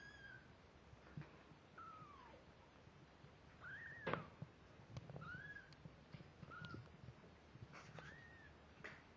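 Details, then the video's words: Two-week-old kittens, eyes newly open and starting to walk unsteadily, give thin high mews: short arched or falling notes, about six scattered across nine seconds over a faint low background hum. "The kittens at two weeks old"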